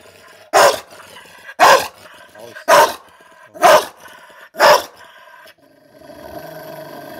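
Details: An agitated Rottweiler having a bad day gives five deep, forceful barks, roughly one each second.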